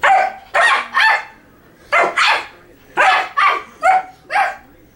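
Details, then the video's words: Pet dog named Dino barking back and forth with a person indoors; eight sharp, loud barks in pairs and singles, each a bright burst, spaced through five seconds with short quiet gaps. "Barking Fit!"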